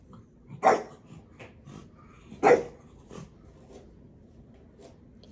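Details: Young dog barking to tease and test the patience of his big brother: two loud, sharp barks about two seconds apart, with a few fainter yaps between them against quiet room background.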